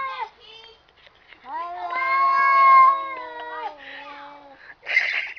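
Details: Domestic cats yowling at each other indoors: a long, rich, steady howl swelling and fading, preceded by short wavering cries and ending in a sharp hiss-like burst.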